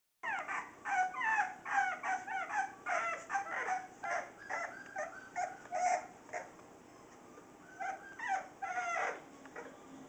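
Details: Playful Bulldogge puppies, 4.5 weeks old, from a Tikka/Gatlin litter, give a rapid run of high whining yelps and squeals, several calls a second with short pauses, fading near the end.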